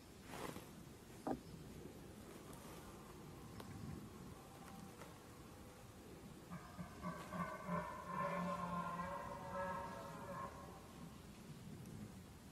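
A red deer stag gives a drawn-out, hoarse roar with a low groaning tone, an early-season rutting bellow.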